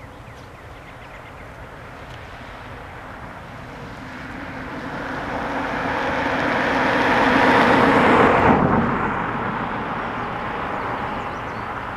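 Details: A passing vehicle or aircraft swells to a loud peak and then cuts off sharply, with no animal voice.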